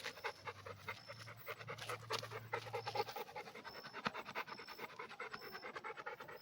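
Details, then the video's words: Rapid, even panting from a red Pit Bull, soft airy huffs repeating about twice a second, with a low hum beneath the first half and brief high beeping dashes in the background. "Pitbull red dog"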